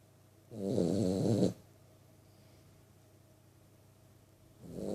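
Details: Poppy, a 3-month-old Vizsla puppy, snores, with low rasping breaths separated by long quiet pauses.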